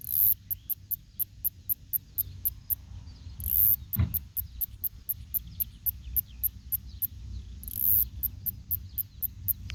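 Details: Northern snoring cicada, Kikihia cutora cutora, in New Zealand; the male's snoring-like song. Steady rapid high-pitched clicks run throughout, with two extended buzzy bursts and a brief knock midway, all above low rumbling noise.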